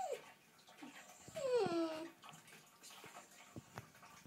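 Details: Pet dog in the bath making cute noises: a high whining cry sliding down in pitch lasting about a second, with a shorter squeak before, amid splashing water and quiet indoor echo.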